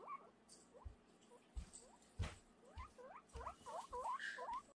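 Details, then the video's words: Screaming guinea pig giving short, high, upward-sliding squeals, a few spaced out at first and then a quick run of them toward the end, with soft thumps and rustling between calls. "Cute guinea pig is screaming"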